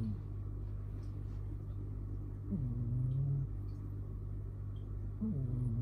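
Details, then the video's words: Tio, a domestic father cat, sound asleep after tiring himself out with play, snoring loudly: low rumbling breaths, each opening with a brief upward pitch flick, roughly every two and a half seconds over a steady low hum. "ねこの巨大いびき！ ~ A cat snoring loudly ~"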